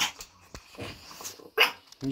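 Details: A Miniature Schnauzer puppy barks sharply and high-pitched at nothing apparent, between bits of quiet human speech from its owner.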